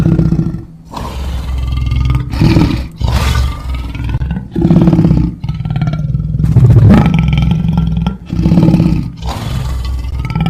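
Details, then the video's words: Lion producing a sequence of loud, throaty roars and grunts, each burst about a second long with brief gaps, over constant low rumbling. "Lion Sounds"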